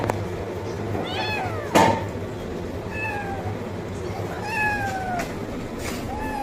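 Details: Kitten meowing loudly for food: several short, high meows with clear harmonics, a couple sliding downward, plus a sharp thump and faint background hum.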